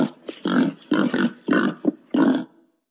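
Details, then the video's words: Wild boar mating call in five short, gruff grunting bursts, each about a third of a second long and separated by brief pauses. "suara pangil babi hutan mau kawin"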